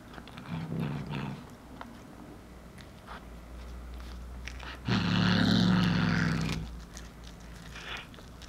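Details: Young female Munchkin cat with tortoiseshell coat growls while eating cooked corn inside a home. A brief low rumble early, then a louder, sustained guttural growl of nearly two seconds, a quiet growl near the end, with crunching and chewing between.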